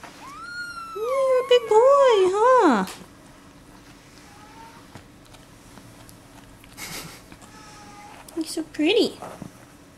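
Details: Indoor Bengal kittens, a golden spotted male and a brown rosetted female. A run of wavering, up-and-down meows lasts about two and a half seconds. After a quiet stretch with light background noise, one brief rising-falling meow follows.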